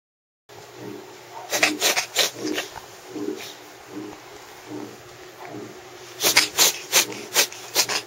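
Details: Sneezes from a cat with rhinitis: a quick cluster of sharp, breathy, explosive bursts around the second and a half mark, then a faster run of five or six more near the end, over a steady low hum.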